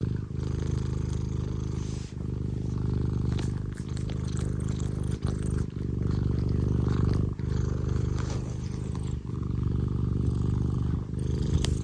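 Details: Scottish Fold cat named Tino purring loudly and affectionately at home, a deep continuous rumble with regular low pulses and brief breaks for breath, sustained throughout.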